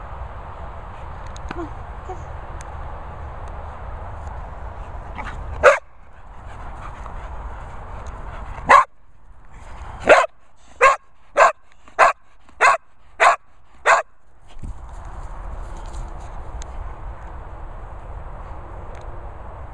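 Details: English Springer Spaniel named Holly Berry, a vocal female dog, barking in a rapid series of about nine sharp, loud barks after a couple of isolated ones, with quiet gaps and low background hum between.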